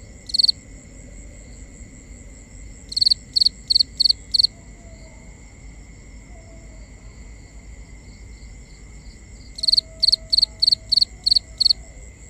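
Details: Cricket calling at night, with binaural recording: bright, high chirps in bursts of about five, spaced by quiet gaps, over a steady faint tone and a soft low rumble.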